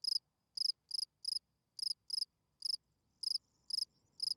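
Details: Field cricket calling song at night to attract females: rapid high chirps of a few pulses each, coming roughly every third of a second, with soft low rustling late on.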